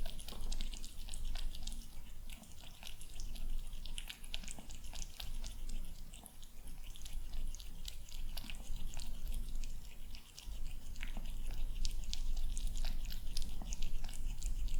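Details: A male kitten eats his breakfast indoors on a calm morning, with soft, irregular wet clicks and crunches scattered through a quiet room and a low background hum.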